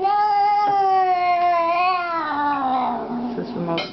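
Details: Edward, a pet cat who likes to talk a lot, gives one long drawn-out meow lasting nearly four seconds, steady and high at first, then sliding lower and breaking into a rougher ending.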